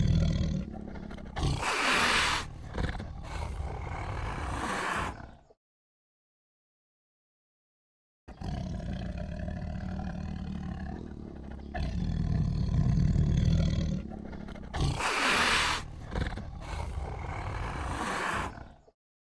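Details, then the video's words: Lion roars, deep and throaty, in long sustained bouts with grating, rasping texture and a few harsh bright bursts, split by a silent pause midway. "AMAZING SOUND TIGER LION AND CHILD II SUARA SINGA HARIMAU DAN KELUARGA"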